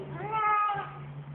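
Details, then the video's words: A talkative male house cat meows once, an arched, moderately loud cry that swells and then eases down over roughly half a second, with a steady low hum underneath. "a very vocal cat"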